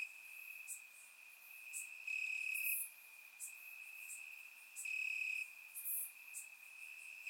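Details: On a warm Bulgarian summer night, crickets chirp in grass, their continuous high-pitched trill swelling into stronger pulses about every three seconds, captured in surround sound with a soft background hiss.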